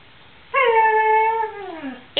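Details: Pet dog Luna, telling her dad she is bored, hungry or thirsty, gives a single clear whine inside a small room, steady at first and then gliding downward over about one and a half seconds.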